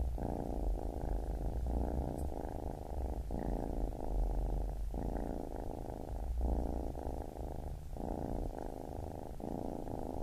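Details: Deep, even purr of a baby kitten, rolling in repeated breath cycles of about one second, quiet and close with no other sounds.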